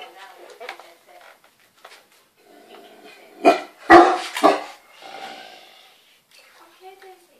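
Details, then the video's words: Daisy, an 8-month-old Great Dane pup, goes crazy indoors at a scrunchie being used in the bath: three loud, harsh barks burst out in quick succession midway, with softer human voices talking before and after. "Great Dane going Crazy at a scrunchy"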